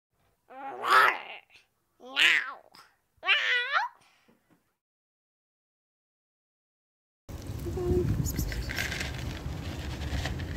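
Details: Stray calico kitten being given food and water on a scorching summer day: three loud, arching, harmonic meows about a second apart, then silence, followed by steady outdoor background noise.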